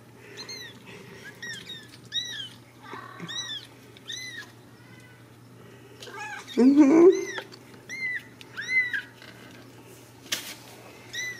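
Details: Ragdoll kittens raised in a home cattery in central Kansas, meowing together: many short high arched mews repeated every second or so, overlapping, with a woman's voice talking to them.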